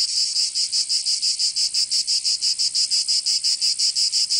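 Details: Cicadas singing in summer in Provence, southern France: a dense, shrill, buzzing chorus pulsing about three times per second, with steady rhythmic throbs and no other sounds.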